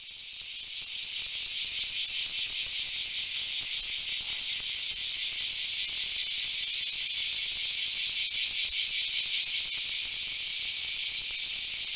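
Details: Cicadas in summer 2008 at Kiyomizu Temple, Kyoto, Japan: a shrill, high-pitched buzzing chorus that swells during the first second and then holds loud and steady, with a fine rapid pulsing throughout.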